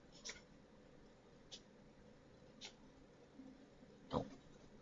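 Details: A four-month-old mini Dachshund puppy gives a string of short, sharp sneezes in a quiet room.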